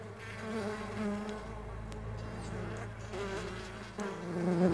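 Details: Mandaçaia stingless bees flying, a steady droning buzz with a low fundamental and layered overtones, its pitch wavering slightly while several bees hum at once; a low rumble sits underneath.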